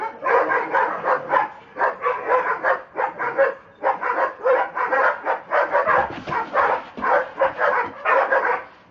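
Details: Dobermanns Rocco and Bridget acting crazy: nonstop, rapid, raspy barking at roughly three barks a second, loud and steady from start to finish.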